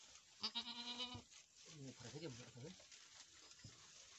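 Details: Boer goat farm in Nepal, where a first-time doe has successfully delivered a buck kid: one clear, level bleat lasting under a second, then a stretch of human talk and a soft knock.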